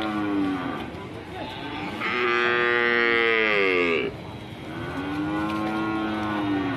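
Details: A raging, fierce cow bellows a loud, strained moo that climbs sharply into a rough, high cry, then drops to a calmer, lower moo. The agitated cattle are alarming their owners.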